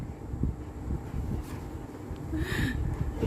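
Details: Low rumbling vehicle or wind noise with faint speech and a brief high tone near the end, no animal voice.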